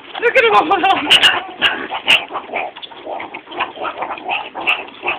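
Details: Meerkats kept at a college growl and bark while eating mealworms from tubes: a burst of quick harmonic yelps, then scattered rough barks and clicks, with a woman speaking nearby.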